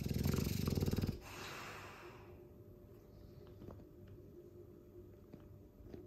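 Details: Sleeping Dogue de Bordeaux, a mastiff, gives a loud snore: a deep, fast rattling burst lasting about a second, then a breathy exhale that fades into quiet room tone.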